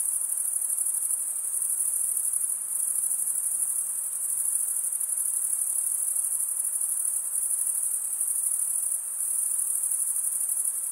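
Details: Crickets singing through a summer forest night, a constant piercing high-pitched pulsed buzz that swells and eases slightly every few seconds, with nothing else audible behind it.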